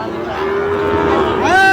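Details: Sahiwal bull calf at a Chattogram cattle market in Bangladesh gives a long steady moo ending in a higher, bending bellow, with people talking around it.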